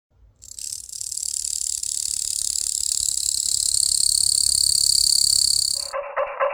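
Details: A captive male pig katydid, approaching a female he had mated with, sings by rubbing his wings together: one long, steady, high-pitched buzzing trill running unbroken for about five seconds.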